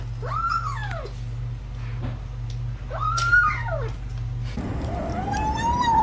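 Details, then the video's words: Domestic cat making strange noises while eating indoors: two arched, rising-then-falling meow-like calls about two seconds apart, then a longer wavering tone, over a steady low hum and background music. "Cats always make strange noises when eating"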